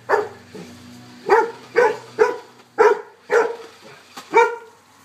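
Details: Loud, evenly spaced woofs from golden retrievers facing off with a remote-controlled car. About seven barks roughly half a second apart, with a faint mechanical hum underneath.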